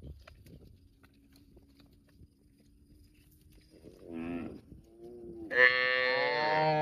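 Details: Cows in a park: low rumbles and a faint steady hum, then a short wavering moo-like call, followed by a loud, sustained harmonic moo to the end.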